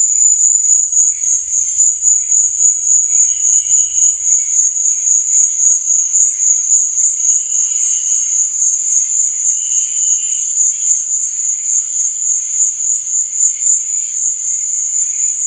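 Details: Shrill nighttime cricket chirping, a constant high-pitched ringing that pulses quickly and evenly, joined by occasional short, lower trilled bursts and a faint low rumble early on.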